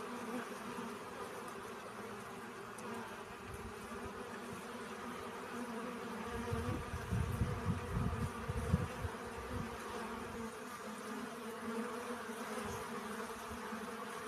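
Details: Bees gathering pollen: a continuous low droning buzz runs throughout, with a patch of rumbling low thuds, like wind or handling, in the middle.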